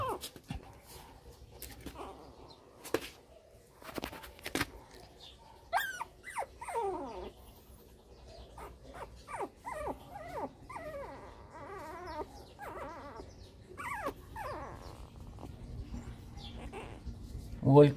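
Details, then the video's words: Newborn Shih Tzu puppies whose eyes are just starting to open give thin, high squeals that slide downward, in scattered bursts and then a busier run of overlapping cries, with soft knocks and handling noises between them. "Shih-tzu chegou mais filhotes"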